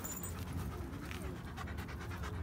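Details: Doberman Pinscher during off-leash obedience training in public, panting in a steady rough breathy rhythm throughout, with a man praising and urging the dog on nearby.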